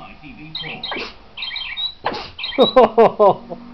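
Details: A Patterdale terrier × Border terrier dog sings in wavering, whiny tones that end in a run of short, rising yelps; it takes about 30 seconds to get going.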